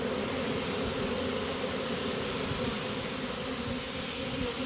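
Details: Honey bee swarm being caught as the bees march into a new home: a dense, steady droning hum with a strong band in the low-mid register, continuous and unbroken, plus a faint hiss above.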